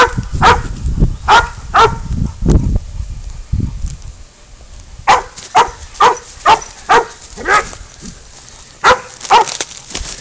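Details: Spud the pig dog holding a goat at bay, catch and release: quick runs of loud barks, about two a second, with a brief lull midway and low thumping noise early on.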